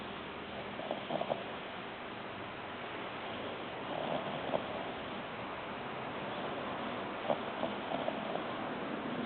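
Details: Faint, rhythmic snoring from Baxter, a three-month-old Ori-pei pup fast asleep; short rough snorts roughly every three seconds over a constant low hiss.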